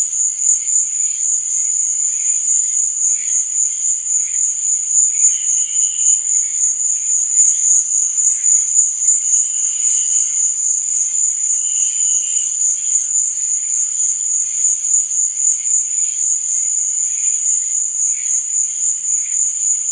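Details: Crickets chirping at night: an even, shrill high-pitched drone with rapid pulsing runs throughout, joined by brief lower trills that recur every few seconds.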